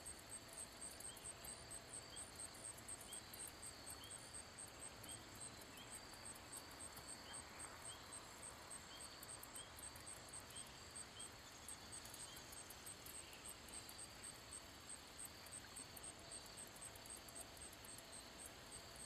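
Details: Wing-rubbing song of a handsome meadow katydid (Orchelimum pulchellum): continuous high shimmering buzz with rhythmic ticks, repeated short pulse trains throughout, steady ambient rumble beneath.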